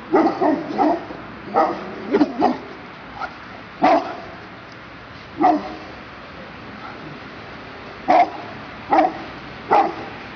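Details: Barking of a Perro de Presa Canario (dogo canario): short, gruff single and double barks at irregular intervals, about thirty-seven per minute, with quiet pauses between bursts.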